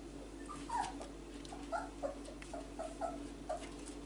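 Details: Whippet pup named Kestrel, a four-week-old male, exploring his range of vocals: a run of short, high whimpering squeaks repeated about once a second over a low steady indoor hum.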